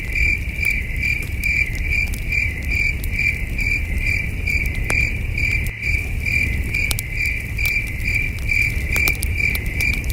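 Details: Distant crickets at night around a campfire in the outdoors: an unbroken string of bright, evenly spaced high chirps, with sporadic crackling pops and a soft low rumble throughout.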